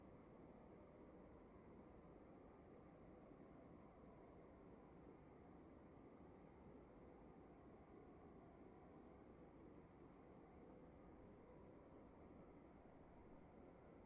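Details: Crickets in a dark room at night: short, high, bright chirps in two slightly offset interleaved series, each pulse brief and repeated roughly every third of a second, over a steady low hum of room noise.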